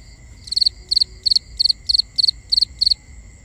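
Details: Crickets at night in a binaural recording: rapid bursts of high pulsed chirps, each a tight cluster of three or four pulses, repeating about three times a second, over steady high-pitched tones and a faint low rumble.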